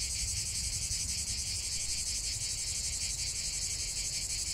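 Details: Cicadas in chorus outdoors, an unbroken shrill metallic drone made of rapid pulses, even and sustained throughout, over a faint low rumble.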